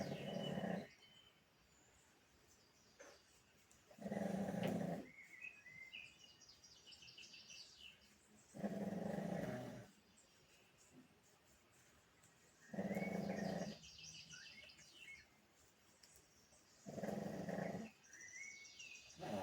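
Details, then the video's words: A pug asleep, snoring steadily. Five coarse, humming snore breaths arrive about every four seconds, each lasting near a second, with quiet gaps between and small birds chirping faintly outdoors. "my dog snoring"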